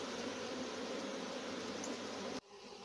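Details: A wild swarm of honey bees being caught and boxed, with the queen never found. A dense, steady, low droning hum continues without a break, then cuts off abruptly near the end, leaving quieter background noise.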